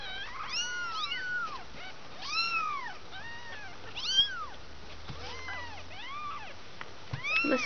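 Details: Two-week-old kittens, one of a litter of five learning to walk, give repeated high arched mews, several overlapping thin cries in quick succession with brief gaps, soft background hum.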